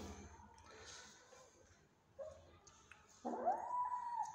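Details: Cat in a home where a hungry mother cat is refusing to nurse her kittens; after faint rustling and a brief low sound, a drawn-out meow rises and then holds steady near the end.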